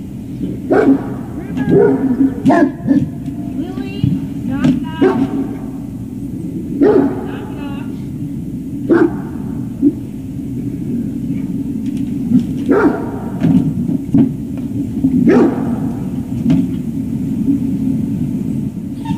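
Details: Dog at a service dog project in Ipswich, Massachusetts, USA, playing a big ball game on the morning of September 25, 2018; short harmonic barks and yips come at irregular intervals, some in quick pairs, over a steady low rumble.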